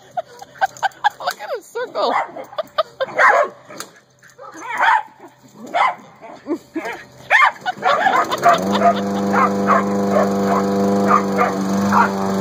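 Short, choppy barks and yips come in uneven bursts from corgis, mixed with people talking. Near the end a sustained, even-pitched drone sets in and holds steady beneath the last few yaps.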